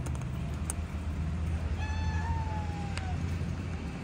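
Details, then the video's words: Hungry cat asking for food: one drawn-out, tonal meow of more than a second that rises slightly then slowly falls, with a steady low rumble and a few soft clicks in the background. "Kitten Meowing to attract cats | The Most Melodious Meow | Cat Sound ASMR"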